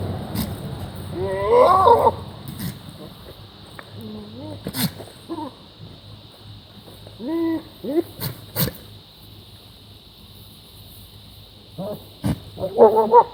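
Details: Goat making odd, bizarre noises: scattered wavering, nasal bleats with rich harmonics, some rising then falling, separated by quiet gaps, over a steady electrical hum and a few sharp clicks.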